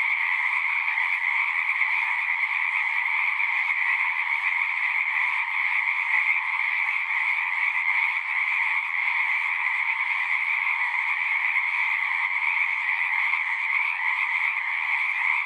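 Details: A continuous frog chorus: many callers blend into an unbroken, buzzing trill that holds steady in pitch and loudness throughout, natural sound with nothing else audible.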